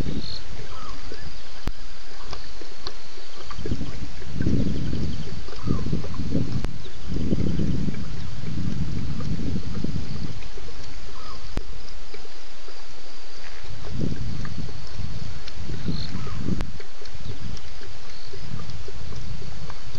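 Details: Lions, at least two, roar at night at Djuma waterhole, 01:30 a.m., 11 November 2016, after a BB's drink. A run of low, rumbling pulses builds mid-clip, then further separate grunts follow, under a constant hum.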